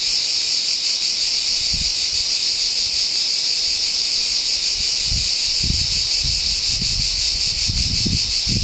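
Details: Deafening chorus of cicadas in the pine wood of San Sostene, Calabria, Italy: an unbroken shrill buzzing wall of sound holding steady, with occasional soft low thumps beneath.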